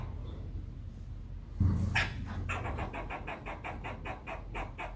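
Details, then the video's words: Squirrel making a steady run of evenly spaced, clipped, dry pulses, about a dozen in a row, starting after a brief thump, over a low rumbling background. "The Squirrel's Voice"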